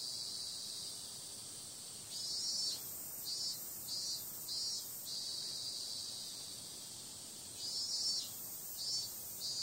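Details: Cicada sound on a summer night, a shrill, unbroken buzz with a string of short louder pulses in the middle and a couple more near the end.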